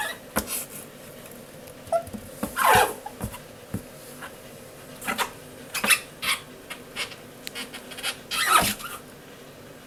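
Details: Newly brought home male Japanese stream toad, its cry likened to a whimpering puppy; short scattered chirps and squeaks come between sharp clicks and knocks in a quiet indoor setting.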